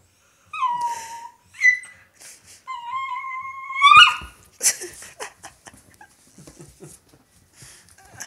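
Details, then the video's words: A female Italian Greyhound "sings" with her toy, giving high, drawn-out howls that waver and slide slightly downward. "Mishka Singing Italian Greyhound"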